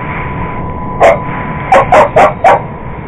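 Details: Purebred Cocker Spaniel going after an iRobot Roomba robot vacuum, giving one sharp bark and then a quick run of four more barks about a quarter second apart over a steady mechanical hum.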